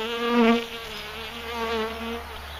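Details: Bees feeding, a steady droning buzz with a clear harmonic stack whose pitch wavers slightly, louder around half a second in as an insect passes close.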